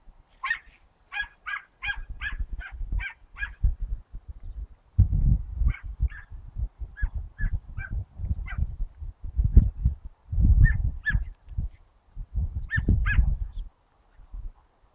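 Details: Dachshund named Mota in training on 19 August 2012, pressing a rabbit until it breaks cover. Sharp, high barks come in a rapid run of about eight, then in scattered pairs and singles over heavy low rumbling and handling noise.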